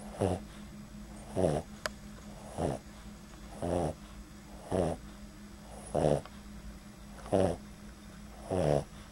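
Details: Sleeping Boston Terrier named Bean giving light snores, captured right at his nostrils; eight evenly spaced raspy snorts, one about every 1.2 seconds, with a constant faint hum beneath.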